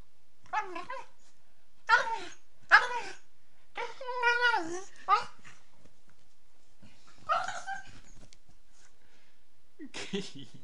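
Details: A female beagle puppy, while playing, gives a run of short, wavering howls with falling tones, broken by brief pauses.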